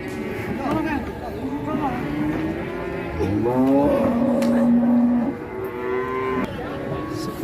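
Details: Cattle crowded at Ngawi market, Indonesia, being loaded onto trucks for other cities. Overlapping low bellows build into a loud, sustained, wavering moo in the middle, then fade, with traffic noise and chatter around.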